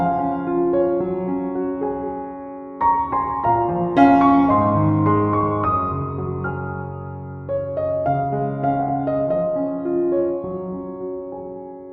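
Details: Gentle piano music plays throughout, with sustained chords and a soft melody and no animal voices.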